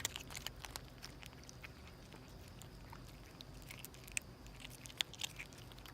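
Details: Stray mother cat and kittens hastily eating; brisk, crackling chews and bites in uneven bursts, some louder snaps standing out toward the end.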